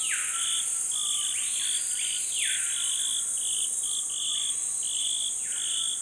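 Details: Pygmy marmosets feed on tree sap at a scarred trunk they return to often. Clipped high whistles come in quick irregular series, broken by a few rising-and-falling sweeps, all above a constant piercing insect hum.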